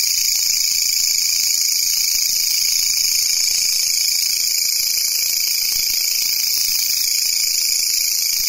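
A grasshopper's continuous high, hissing buzz runs steadily without pause.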